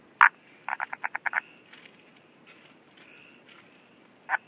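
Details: Frog calling in Ranomafana National Park, Madagascar. One sharp click comes first, then a rapid series of about seven clicking pulses, then a last click. A steady insect-like hum sounds throughout the background.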